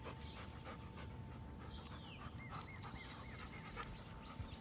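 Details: Panting German Shepherd: rapid, airy breaths in a steady rhythm, while a small bird gives a short series of thin repeated chirps midway and a constant low hum runs underneath.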